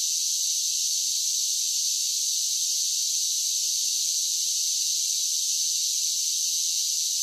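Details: Summer cicadas in full song, a flat, constant, piercing buzz with no pauses or changes in loudness and no other voices.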